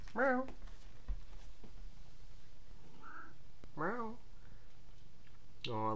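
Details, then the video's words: VeeSea, a male visitor cat who comes by every few hours for food and affection, meowing back when spoken to indoors: three drawn-out, wavering meows with rich harmonics, spaced a few seconds apart, plus a softer one between them. "Cat Talks Back"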